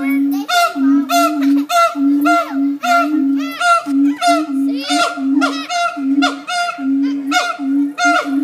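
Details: Several monkeys give rapid, overlapping honking cries that rise and fall, about three per second, above a constant low hum.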